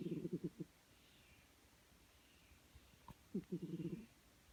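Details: A cat snores in its sleep. Each breath is a fluttering series of rapid low pulses lasting under a second, and the breaths come roughly three seconds apart against quiet indoor background.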